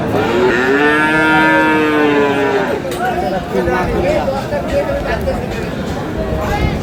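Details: Friesian or crossbred cattle at the Aftabganj livestock market in Dinajpur, Bangladesh: a long arched moo lasting about two and a half seconds, followed by overlapping market chatter and other animal noises in a busy crowd.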